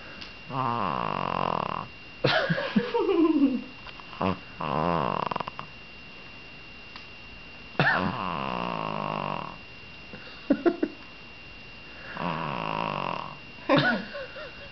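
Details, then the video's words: Female house dog that goes limp and motionless when picked up or petted, making a snore-like purr: rasping buzzy rumbles lasting one to two seconds, repeated about every two to three seconds, some with wheezy sliding tones, indoors. "Purring Dog"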